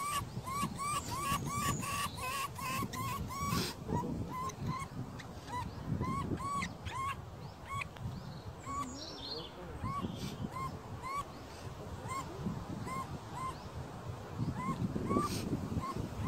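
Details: A least weasel (Mustela nivalis) on the Danube cycle path in Regensburg gives a rapid run of short, arched squeaky notes, then scattered single calls, over low rumbling noise.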